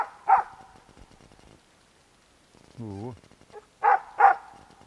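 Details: Bek, a dog, barking at a squirrel in a pine and birch wood: one bark, a lull, a short human voice, then two loud barks in quick succession.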